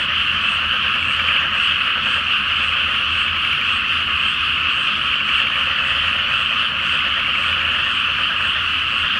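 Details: Great frog chorus from a flooded pre-planting rice field in Japan on a full-moon night; layered croaking voices blend into a loud, continuous trilling drone.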